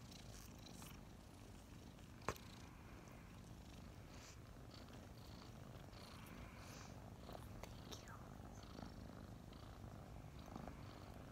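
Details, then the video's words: Morning snuggle of two kittens, Mint and Mocha, about five months old and just adopted; an even, low purring drone fills the clip, broken by a brief click early on and soft rustles. "Snuggling two purring kittens"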